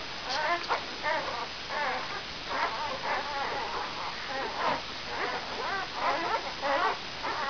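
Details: Brown Labrador Retriever litter vom Tannbachtal, puppies five days old, mother Benja: thin wavering whimpers and little squeals come in quick bursts, bending up and down in pitch, a few pups crying together.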